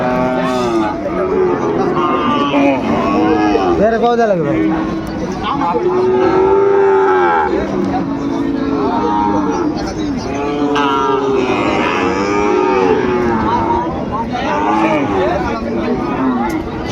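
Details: Bull calves of the Sahiwal breed at Ambari cattle market in Dinajpur, 18 November 2024: a steady chorus of arching moos from many cattle, one after another every second or two, with crowd murmur beneath.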